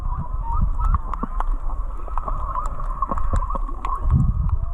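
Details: Whale song recorded underwater while snorkeling on the reef just north of Charley Young Beach, Kihei, Maui: wavering mid-pitched moans and tonal sweeps over steady low surf rumble and dense crackling clicks.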